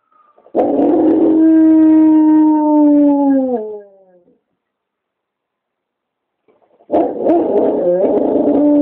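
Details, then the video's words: Onyx, a pet dog, howling as fire trucks drive near its neighborhood, recorded on a BlackBerry phone; two long steady howls with clear harmonics, the first about three seconds and falling at its end, then a pause before the second begins. "Onyx Howls at a Fire Truck"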